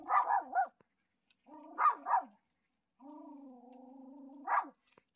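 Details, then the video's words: Dogs Galchi and Jandi meet their dad on their usual walking path after his week in hospital, barking in a way they normally do not; short doubled barks alternate with a long, steady whining tone, then one more bark. "일주일만에 산책길에서 아빠를 마주친다면 강아지의 반응은!?"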